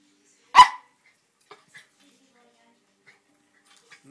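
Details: A two-year-old Norfolk Terrier indoors, intrigued by the ornaments on a Christmas tree, gives one sharp, loud bark. A few faint soft clicks follow in otherwise quiet surroundings.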